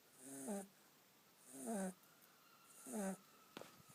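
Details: Kitten asleep and snoring: three squeaky, whistled breaths that slide downward, each followed by a hissy rush of air, about one every 1.3 seconds in a quiet room.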